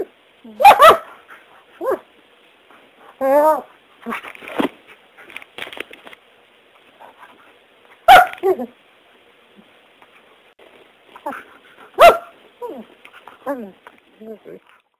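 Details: Vocal German Shepherd puppy, male, eight months old, playing and chewing: sharp single barks spaced several seconds apart, with yips, whines and grumbling rising-falling moans between them.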